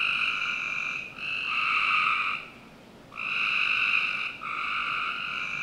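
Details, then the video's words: Frogs calling on a summer night in the backyard of a Northern Virginia home: loud buzzy trills, each running about two seconds, with a near-silent pause in the middle. Several callers overlap. "Frog Night"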